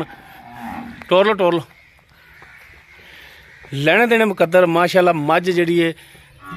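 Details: Nili-Ravi buffalo offered for sale in Pakistan, recorded 23/10/2022: two loud, harmonic, moaning calls, the first short, the second a longer drawn-out bellow broken into several pulses, with faint voices and background hum between them.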